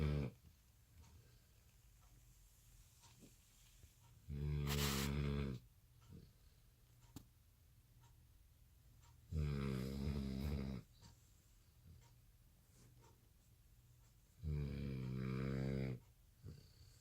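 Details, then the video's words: Sleeping American Bully puppy, worn out at night from no nap after dinner, snoring loudly: three rough, vibrating snores about five seconds apart, each lasting over a second, with soft sniffs and clicks in the quiet room. "Puppy snores so loud | American Bully"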